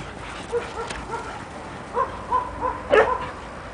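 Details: Standard poodle household: Juki, a mother, growing up with her puppies Rufous and Brutus. Short, clear, whining yips come in quick pairs and triplets. The last call is louder and sharper. Soft background noise runs throughout.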